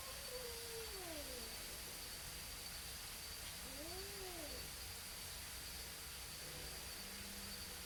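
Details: Two neighborhood cats in a pre-fight standoff give a few quieter arching howls, a falling wail then a rising-and-falling one, with a low short moan near the end and constant background hiss.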